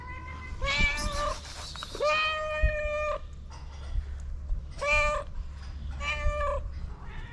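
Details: Three hungry feral street cats begging for food, meowing repeatedly: about five clear, drawn-out meows, some short and some long and level, over a steady low outdoor rumble.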